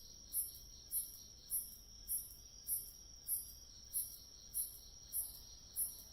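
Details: Grass insects crying in autumn: about ten piercing chirps evenly spaced around 0.6 seconds apart, riding on a constant high, metallic trill, otherwise quiet.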